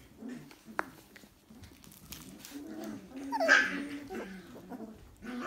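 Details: Dalmatian puppies whining indoors: soft, low tonal whimpers drawn out into a longer steady whine past the middle, with a brief higher squeak and light rustling and clicking around them.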